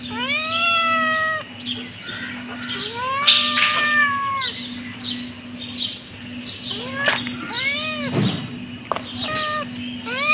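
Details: Several kittens meow rapidly and overlap, with arched, rising-falling cries about three per second. There are brief sharp clicks and a constant low hum behind them.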